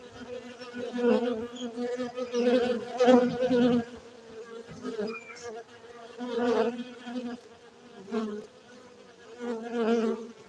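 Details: Continuous droning of cultivated honey bees at a Gayo bee farm in Bener Meriah, Aceh, Indonesia, the hum repeatedly swelling and ebbing every second or two as individual bees circle past.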